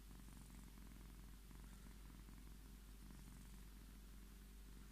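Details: Domestic Scottish Fold cat asking for attention and strokes, producing a soft continuous low purr that swells and eases in steady breathing rhythm.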